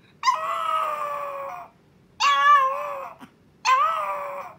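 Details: First howl of Milk, a Chihuahua puppy wanting her owner immediately: three loud, sustained whining howls of about one to one and a half seconds each, steady then sagging in pitch, with brief silences between.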